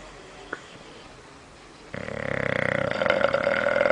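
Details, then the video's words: Sleeping bulldog in a living room gives a loud rattling snore that starts abruptly after a brief click, the fluttering buzz pulsing rapidly and growing stronger over two seconds. "Bulldog roncando Bulldog Snoring"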